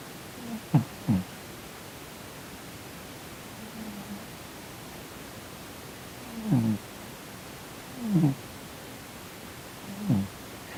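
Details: Sleeping house cat, twitching as if in a bad dream, snoring indoors: low, brief nasal snorts arriving roughly every one and a half to two seconds, some doubled, against steady faint room noise.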